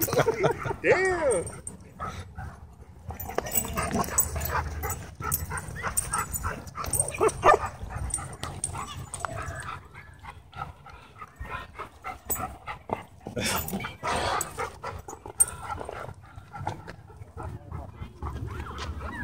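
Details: Dogs fighting at a dog park as a pitbull hybrid attacks two dogs; rapid, irregular barking and yipping with a rising whine near the start, over people talking and background music.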